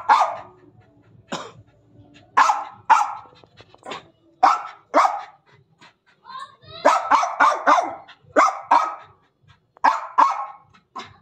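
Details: Jack, a German Spitz pet dog, barking angrily: sharp, loud barks in irregular bursts of one to four, some quick doubles and triples, with a person's speech heard between them in a small indoor space.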